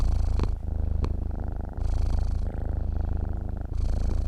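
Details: Close, rumbling purr of a domestic cat asleep, long drawn breath cycles with a brighter buzzy inhale and softer exhale, steady and uninterrupted.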